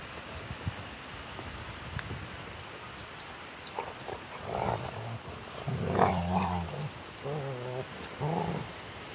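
Rottweilers trade low, rumbling growls and short grumbling yelps while play fighting.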